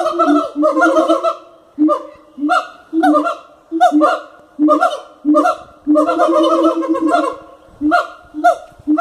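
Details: At Cotswold Wildlife Park, captive siamangs call with bursts of brassy, honking barks, some fast and clustered, others spaced about a second apart, each with a quick upward start.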